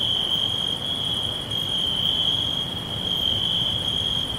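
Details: Short stretch of forest crickets giving a continuous piercing trill at steady volume, faint higher pulses repeating above it, soft low rustle underneath.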